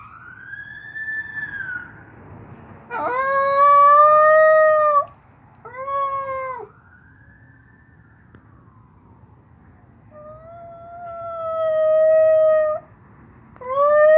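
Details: Lady, a one-year-old Maltipoo, howls as a siren passes: long harmonic howls in several bouts, some wavering and sliding down at the ends, with a faint rising and falling siren wail between them.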